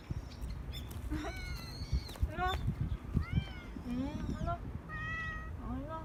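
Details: Injured stray cat Rangrang, fed outdoors, November 2018, gives a run of plaintive meows, several bending up then down, spaced about a second apart, while a woman coaxes and calls it over.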